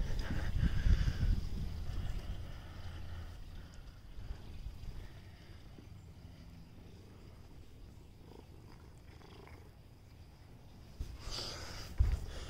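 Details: Stray cat giving a soft, steady low purr in rapid rhythmic pulses, louder at the start, fading, then a short rustle near the end.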